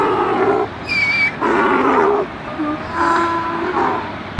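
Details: Donkey on a farm braying: harsh, buzzy bursts with strong stacked harmonics alternating with shorter gaps, three main pulses over about four seconds, plus a brief thin whistled note near the start and a sharp click at the end.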